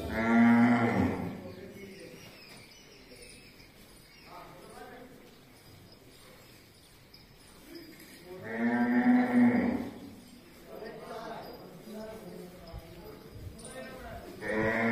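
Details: Cows kept at the Majari Ashram gaushala (cow shelter) in Jhunjhunu give long, loud, richly harmonic moos: one at the start, a second about eight seconds later and a third beginning at the end, with quiet background between.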